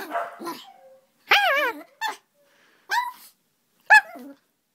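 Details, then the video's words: Hyper puppy Aria after running into a bed and hitting her head indoors: four short, high, bending yips spaced about a second apart, after a brief rough bark at the start. "Hyper Puppy! Aria Hits her Head on Bed"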